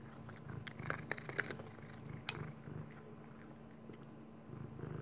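Crisp, irregular crunching comes in quick bursts as a Maine Coon cat chews dry kibble, with a few louder cracks between quieter patches. A steady low hum sits underneath.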